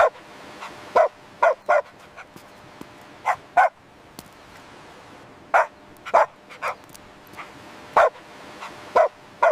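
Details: Playful puppies on fresh green grass give bright, high yipping barks, single or in quick pairs, spaced through the scene over a quiet background.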